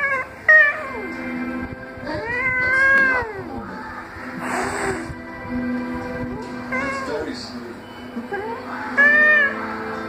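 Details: Irritated tomcat giving drawn-out, wavering meows that rise and fall in pitch, several long calls spread across the recording with human speech and faint background sounds between them.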